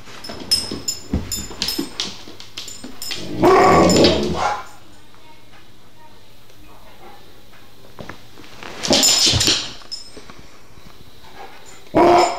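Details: A spooked Alaskan Malamute growls at a vase, seeing something that isn't there, giving loud, rough vocal bursts between stretches of a man's voice.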